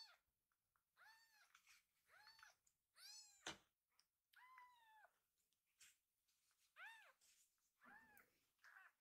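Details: A rescued kitten named Pochamaru, lying belly-up after a full meal and being tickled, gives a series of short, high, arching meows, some squeaky and strained, repeated every second or so with brief pauses in a small room.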